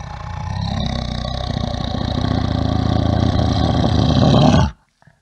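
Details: Bear roaring: a long, loud, low rumbling roar with a pulsing, growling texture, swelling steadily for over four seconds before cutting off abruptly into near silence.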